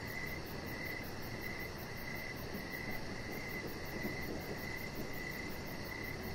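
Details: Crickets in the evening beside a deck where a chihuahua puppy lies, giving a steady, high, pulsed chirping that repeats rapidly throughout, over a constant low rumbling background noise.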